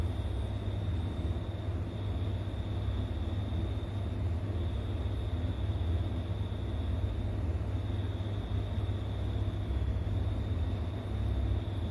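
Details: Constant low vehicle rumble with a faint steady high whine, with no animal voice present.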